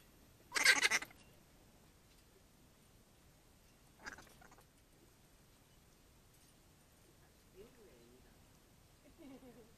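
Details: Grey-headed flying-foxes of senior years, flightless and in permanent care in an aviary, hand-fed ripe banana. One harsh, broadband screech about half a second long, then quiet with faint soft sounds.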